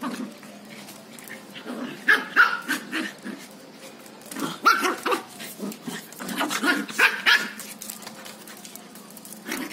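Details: A female Lhasa Apso playing with a cocker spaniel puppy gives short, sharp, irregular barks and yaps, with a person's voice in between.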